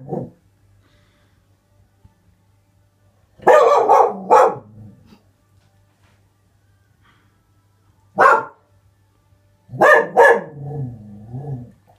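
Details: Young Springer Spaniel barking at something outside the house: short harsh barks in separate bouts, a double bark, then a single one, then a final bark trailing into a whiny, tonal yelp, with quiet gaps and a low background hum.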